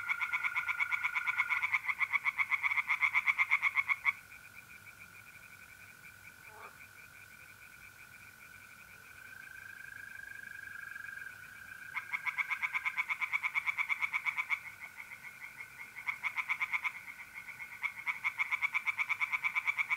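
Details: Tree frogs calling in a pond on a mid-April night in North-East Italy. Dense bursts of quick rasping pulses last several seconds, separated by a quiet gap. A continuous buzzing trill of mole crickets fills the background.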